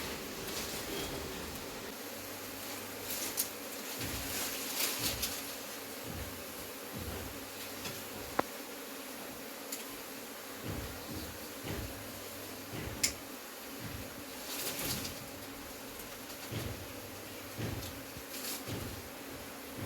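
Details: Honey bees buzzing while their hive is being removed, with smoke from a torch used to drive them off; a steady droning hum with a low pulsing tone that swells and fades, broken by occasional sharp clicks and rustles.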